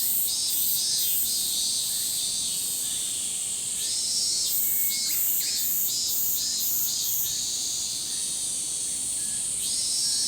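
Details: Many min-min cicadas shrill together in a dense, pulsing chorus that swells and fades in rapid beats in a summer forest.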